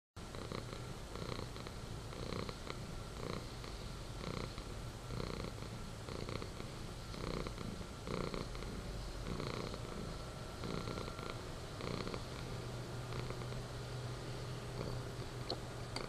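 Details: Persian cat purring, a soft, continuous low rumble that pulses rhythmically with each breath, under a steady hiss of room noise.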